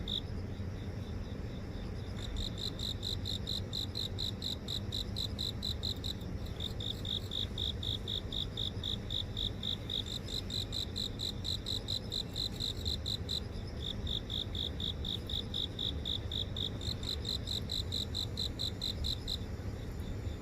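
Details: Grass insects in a city garden in Seoul, captured by phone while walking: bursts of rapid regular chirping with short pauses, overlapping high-pitched trills, set against constant low traffic noise.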